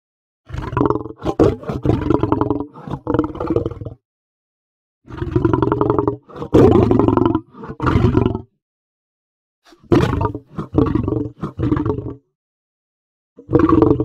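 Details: Lion roaring in clustered bouts: loud, gravelly roars broken into rapid pulsed grunts, grouped in runs of several with brief silent gaps between them.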